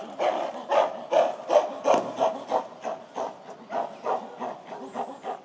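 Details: Gorillas of the Shabani group screaming at breakfast time in December 2023, when female Nene chases silverback Shabani. The screams come as a rapid run of harsh, repeated bursts, about fourteen in five seconds, that fade toward the end.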